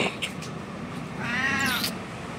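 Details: Hungry kittens meowing for a mother cat, adopted street cats in India: one thin harmonic meow rising and falling near the middle, over low background hum and faint clicks.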